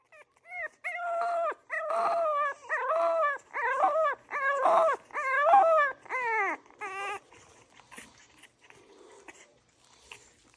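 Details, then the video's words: French Bulldog puppy crying for attention: a quick series of about eight high, whining, rising-then-falling cries over seven seconds, then softer, fainter whimpers trailing off. "Crying puppy asking for attention"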